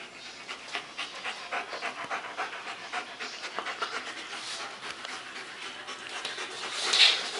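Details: Two German Shepherds, Max and Ace, playing on 14 September 2015: rapid, breathy, hissing pants in steady bursts of roughly three per second, with a brief sharper sound near the end.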